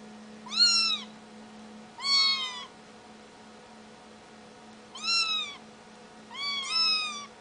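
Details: Four short kitten meows spaced unevenly over a few seconds, each rising then dipping, high and clear, with a steady low hum beneath and quiet pauses between calls.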